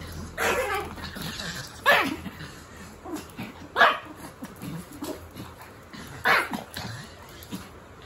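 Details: Pomeranian excitedly playing with a Boston Terrier and refusing to stop; four loud, sharp barks burst out at irregular gaps of about one and a half to two and a half seconds, with softer yips and shuffling between them indoors.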